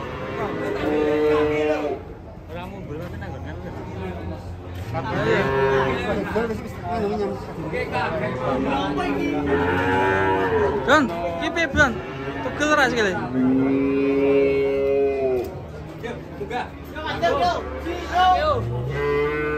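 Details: Cattle unloaded from a truck go on a rampage into a ditch; loud, bending moos follow one another amid agitated human shouting and crowd noise.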